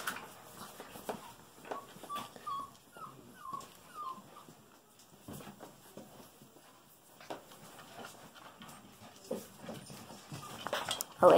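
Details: Five-week-old Golden Retriever puppies from one litter whimper in a short run of thin, wavering high notes early on, then quieter shuffling and rustling as they play with a toy.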